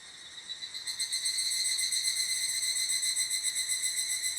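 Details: Evening cicada calling at an abandoned toilet: a bright, ringing metallic trill of rapid pulses, about four per second, that swells in from a quieter start and then holds steady, with no other clear sounds.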